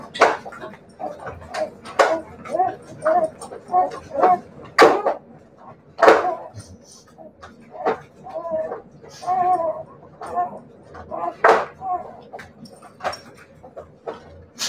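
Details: A litter of Siberian Husky puppies whimpers in thin, wavering tones, with brief squeaks scattered through the stretch and loud sharp taps and knocks breaking in every couple of seconds.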